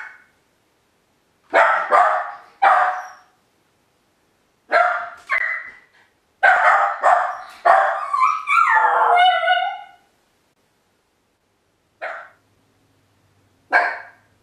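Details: Left alone in the house for the first time, min pin YLVA barks irregularly in clusters. One bark drags into a wavering, tonal yelp. Later come two lone barks after a quiet gap.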